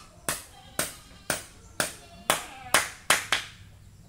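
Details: Eight sharp hand claps ring out about every half second against a quiet background, and no animal sound is heard.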